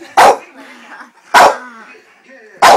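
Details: Staffordshire terrier reacting angrily to being called a wanker by its owner; three sharp, loud barks roughly 1.2 seconds apart, with a low grumbling growl between them and the owner's voice nearby.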